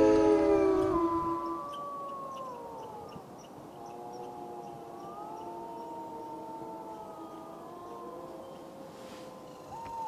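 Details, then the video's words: Wolves howling in a chorus: a loud opening howl fades, then several fainter wavering howls overlap, rising and falling against each other, with soft background hiss. "Wolf Howling"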